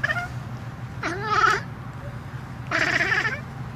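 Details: A male exotic lynx hybrid cat, reacting as he does whenever he sees a bird in his yard, gives two drawn-out, wavering meow-like calls with a strained, rising-and-falling tone.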